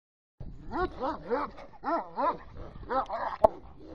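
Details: A two-and-a-half-year-old male Caucasian Shepherd Dog on a farm, during a courage test, lets out a run of about seven deep, harmonic barks. Each bark arches up then down, coming in quick succession and ending with a sharp click.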